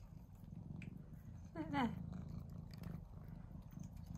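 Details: Domestic cat, Mouse or Remi, excited while eating favourite tuna treat in a small room; continuous low purr throughout, a brief higher tonal sound near the middle, and a woman speaking softly.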